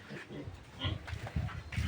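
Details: Pure native pig piglets being weaned from their sow give low, short grunts in uneven bursts, growing louder toward the end, over a faint background hiss.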